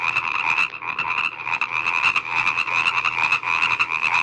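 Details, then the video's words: Frogs calling together in a dense, continuous chorus, a steady high buzzy band overlaid with rough lower croaking that swells and dips without pause. "كيف يبدو صوت الضفدع"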